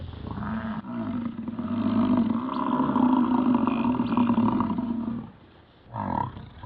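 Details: American bison during the Yellowstone rut giving one long, sustained, throaty roar of about five seconds that swells in the middle, then a short, fainter follow-up bellow.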